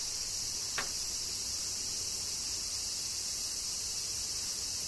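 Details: Kyoto cicadas in summer rain, Japan, keep up a bright, unbroken high-pitched whine. A single brief snap sounds near the start.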